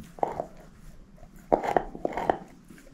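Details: A shepherd mix named Moose, female, crunches a bone inside: one short bite at the start, a pause, then a quick run of three or four sharp, clicky crunches toward the end.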